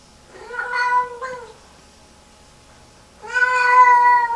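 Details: A Lynx Point Siamese cat gives two loud, drawn-out, wavering meows in distress, hours after a bath, as she repeatedly walks into the bathroom and has a meltdown.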